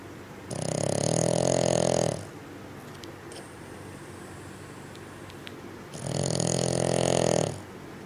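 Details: Loud snoring from a sleeping Bugg dog: two drawn-out, throaty snores about five seconds apart, each lasting over a second, with soft faint sounds in the pause.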